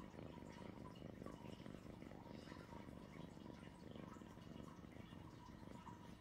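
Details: Sweet Pea, a pet cat indoors, purring in a steady low rumbling drone with fine rapid pulsing throughout, continuous for six seconds, a faint wavering higher tone running above it.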